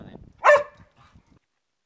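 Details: Pet Cocker Spaniel filmed at home, giving a single short sharp bark followed by quiet low rustling.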